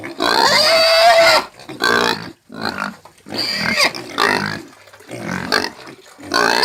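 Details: Porco caipira, a farm pig, squealing loudly. A long, shrill, tonal scream is followed by several shorter, rougher squeals and grunts, spaced by brief silences.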